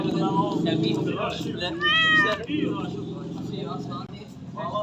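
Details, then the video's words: A pet cat lets out one brief, bright meow midway through, set against steady low chatter and household noise. "cat voice video"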